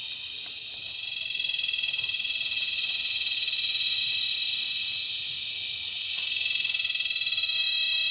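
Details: Cicadas mating in cicada season at Sitio Bagumbayan, Brgy. Balabag, La Carlota City, Negros Occidental, Philippines, July 18, 2020, give a loud, steady, hissing buzz high in pitch that swells after the first second and pulses rapidly throughout.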